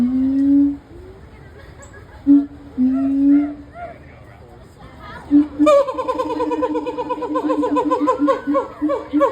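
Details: Gibbon calling at the Cincinnati Zoo: clear tonal hoots, then a rapid run of rising whoops that speed up and repeat about twice a second, with faint chatter in the background.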